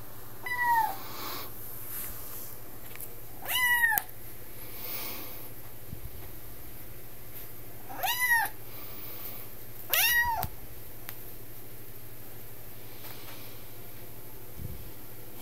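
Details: Gadget, a vocal 10-week-old Highlander kitten on its second day in a new home, recorded indoors on an HTC EVO 4G, gives four clear, rising-then-falling meows spaced about two to four seconds apart over a quiet room hum.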